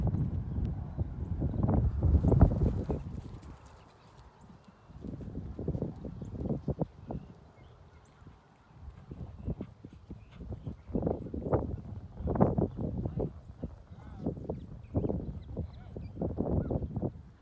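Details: Paso Fino horses ridden on a ranch near Pilot Point, Texas, showing their smooth gait; rapid, irregular low thudding hoofbeats in bursts, roughly three or four per second, with a faint steady high tone above.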